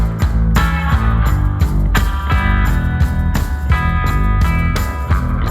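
Heavy rock music with distorted guitars and drums, and no animal sounds.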